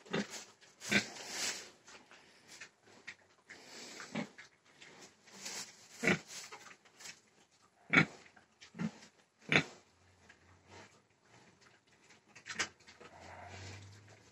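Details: Pig grunting in short, rough, broadband bursts at irregular intervals, some sharper snort-like notes rising above the rest, with a low steady hum creeping in during the final seconds.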